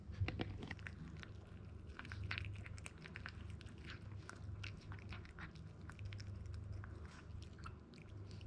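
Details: ZEN, a male Toy Poodle puppy born in Japan, 62 days old and weighing 1290 grams, eating grain-free dog food: irregular crisp crunches and clicks over a steady low hum.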